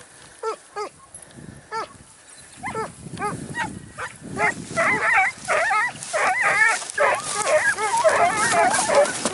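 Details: Segugio Italiano hound in training at Sofiko, Evros, on 12 September 2018, giving yelping barks that start sparse, then build into a dense, quickening run of overlapping bays over the last half.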